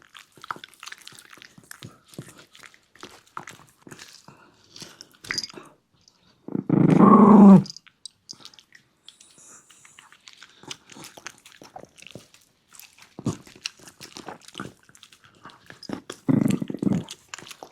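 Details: A Shiba Inu dog eating its food indoors gives a low, buzzy, rough growl lasting about a second near seven seconds, with a shorter one near sixteen seconds, between steady crunching and chewing sounds.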